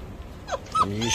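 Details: Fifty-day-old Jindo puppies give short whimpering yelps: a brief falling whine, then a louder, higher squeal that rises toward the end, over a low background rumble.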